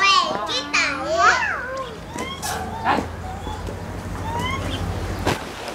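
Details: Lar gibbons, an 11-year-old male and a 6-year-old female at Maruyama Zoo, Hokkaido, Japan, recorded April 8, 2016, give wavering, tonal hoots that swoop up and down, then sharp rising whoops; the male chases her while calling.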